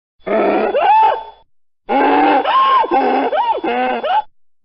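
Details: Mule braying in two loud bouts, harsh harmonic cries that swing up and down in pitch like a wheezing hee-haw, separated by a short silence.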